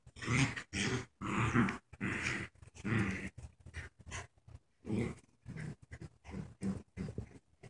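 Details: Paralyzed puppy whose legs don't work right, wearing a diaper, playing tug of war indoors with a canine friend; rough, throaty growls come in short bursts about every half second, with brief pauses between grunting pulls.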